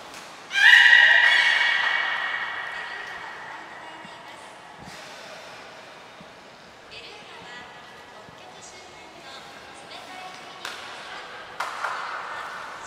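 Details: At Port of Nagoya Public Aquarium, 15 June 2022, a beluga in training with Gray and Mirai gives one loud bright squealing call that fades slowly, followed by softer scattered clicks, thuds and faint voices in the hall.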